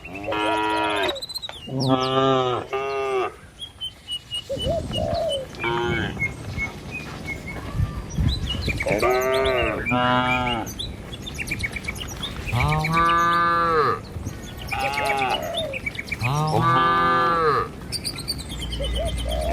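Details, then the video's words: Dozens of tame cattle in a herd running along a village road toward their pen, mooing repeatedly: long, low, harmonic bellows rising and falling, several overlapping animals, with brief bird chirps between calls. "Puluhan Kawanan Sapi Lembu Berlarian Menuju Kandang, Suara Moou Sepanjang Jalan Desa Indah"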